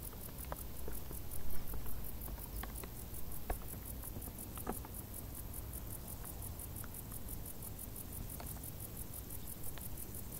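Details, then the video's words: Summer crickets in tall grass give a continuous high pulsed chirp, roughly two to three beats per second, while soft pattering and ticking sounds come and go in the foreground. "Grilli | suoni dall'erba alta"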